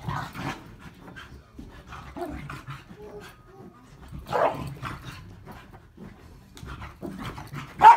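A corgi gives a few short, rough barks between breathy panting, ending in one sharp loud bark.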